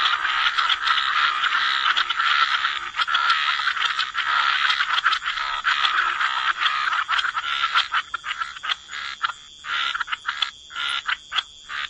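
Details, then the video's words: Wetland frogs in full chorus, rough overlapping croaks running almost unbroken, then separating toward the end into short staccato bursts with brief gaps, a steady high tone persisting throughout. "Frog Lullaby: Relax to the Sound of Croaking Frogs"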